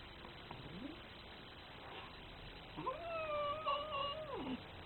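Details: Angry cat indoors: a faint short whine early on, then one drawn-out, level, slightly wavering meow lasting nearly two seconds before dropping away, over a steady background hiss.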